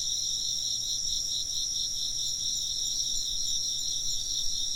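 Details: Insects chirp nonstop in a layered, high, rapidly pulsing chorus. The trilling beats are clearly audible at a steady volume, with faint ambient noise beneath.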